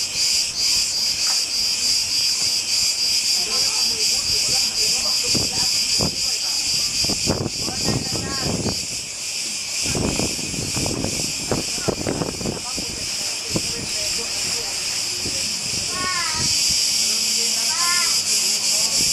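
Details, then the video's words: Cicadas singing on the island of Crete, Greece, at Aqua Sun Village: a steady, dense, high-pitched buzzing drone that continues unbroken throughout, with people talking over the middle stretch. "Как поют цикады"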